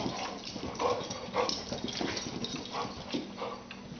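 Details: Two dogs, a white Boxer and a Rottweiler mix, play together, giving short, rough barks and growling yelps in bursts about every half second to second over a steady broadband hiss.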